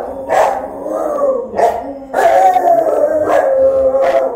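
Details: Rottweiler guarding the house while its owner is away, filmed by a phone left recording at home; drawn-out howling barks with a steady tonal wail, several bursts over four seconds.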